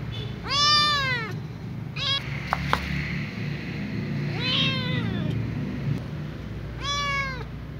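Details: A little ginger house cat meows for the remembered smell of its food: four plaintive, arching meows, a short chirp-like one among them, with a couple of sharp clicks and steady background hum.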